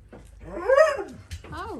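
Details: Four-week-old Dalmatian puppies, several together indoors on puppy pads, one giving a loud, drawn-out whining yelp that rises and falls in a single arched sweep, followed by a shorter second whine; faint rustling underneath.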